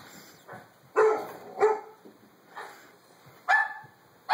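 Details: Scared Doberman giving short, separated barks and yelps at irregular intervals, some with a brief whining tone, against a quiet indoor background.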